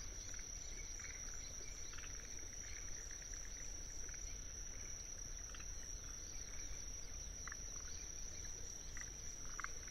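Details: A Kinhibari cricket (Anaxipha pallidula) holds a steady, high, ringing trill over a low rumble and scattered forest green tree frog calls in a wetland in Tsuruoka, Japan, on 19 June 2021.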